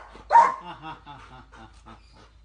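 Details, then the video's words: Pet puppy crying when someone playfully pretends to hit it: one sharp yelp followed by a trail of soft, fading whimpering whines. "බබාට ගහන්වා කියලා බලන්න එයා කෑ ගහන තරම්"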